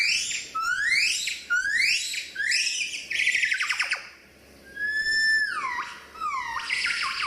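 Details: Gibbon calling in a run of quick, rising whistled sweeps repeated roughly every half second, then a pause and a few longer swooping, falling and rising hoots, loud and musical.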